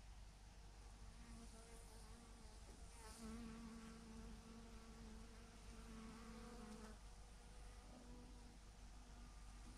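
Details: Honey bees in a huge swarm hanging from a branch give a constant droning buzz, one bee's tone holding close for several seconds, over a heavy low background hum.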